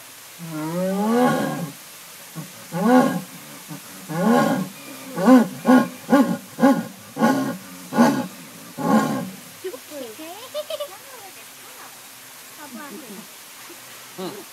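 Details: Agitated jaguar in a zoo enclosure at San Diego Zoo; a deep rasping sawing call, a series of about eight short hoarse grunts repeated roughly every 0.6 seconds, followed by fainter people's voices.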